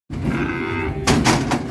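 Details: Cattle unloaded from a truck and rolling over wildly: one long, steady harmonic moo with a low fundamental holds for about a second, then several sharp knocks and clatters follow.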